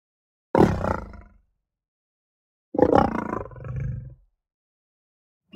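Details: Lion roaring: two loud, harsh, low bursts about two seconds apart, each under a second long with a rough, growling texture and a quieter trailing rumble, separated by silence.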